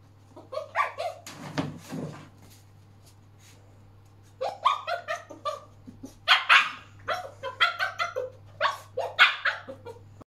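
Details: Huskamute (Husky Malamute cross) puppy running around indoors and demanding more treats, giving rapid bursts of yelping, talking barks and howly yodels with rising and falling pitch, in clusters with a short pause in the middle.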